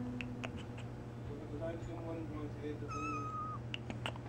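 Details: A pet kitty gives one drawn-out, even-pitched meow lasting under a second, rich in overtones. Soft indoor voices murmur beforehand, a few light clicks follow, and a steady low hum runs underneath throughout.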